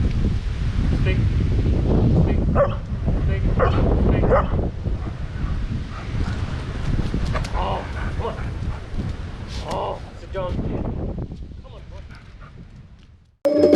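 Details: A German Shepherd in jump-and-speak training gives short, deep barks on command between a person's spoken commands.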